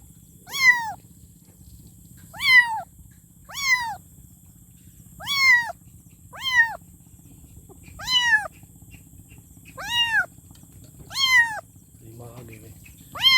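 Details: Kitten calling for its mother in a persistent series of about nine short, arched meows, repeated every one to two seconds, with a fainter sound near the end and a constant low hum.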